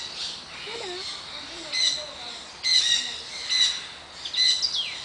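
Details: A mother and daughter monkey calling: thin, high squeaky chirps come in short clusters roughly once a second, with quiet gaps between bursts over a soft background hiss.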